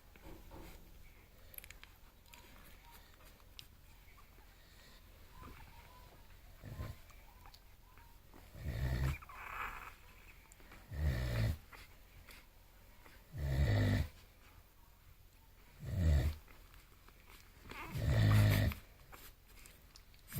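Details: Six-day-old bulldog puppies asleep and dreaming, giving low snoring breaths in bursts every two to three seconds, growing louder toward the end, in a quiet indoor room.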